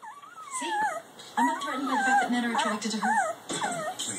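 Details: German Shepherd puppy whimpering in a series of high, wavering, sliding whines, some falling and some rising, with short pauses between bursts.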